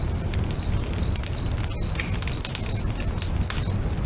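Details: Cricket song by a lakeside bonfire at sunset: bright, high chirps repeated about every 0.4 seconds, mixed with loud wood crackles and pops and a deep rumbling undertone.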